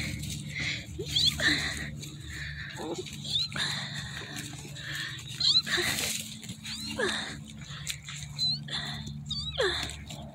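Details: German Shepherd puppies; repeated high thin whines and squeals, some sliding up and down, several overlapping, with a person talking softly to them and a steady low hum in the background.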